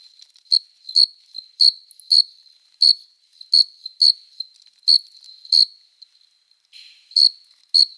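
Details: Summer-night cricket song made by rubbing the forewings, produced only by adult males courting females: sharp high chirps repeated roughly every half second, some doubled, over a continuous faint whine, with a brief soft rustle near the end.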